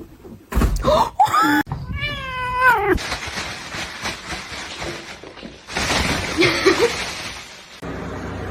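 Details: Indoors a cat gives a short meow followed by a longer, wavering drawn-out one, then broadband noise, rustling and clattering.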